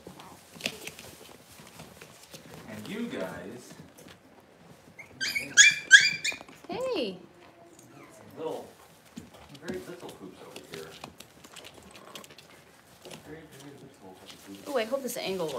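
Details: Six-week-old Cavalier King Charles Spaniel puppies in an indoor puppy pen, handled while being dewormed and having their toenails trimmed; rising, wavering whines and a burst of high squeaks come between stretches of human talk.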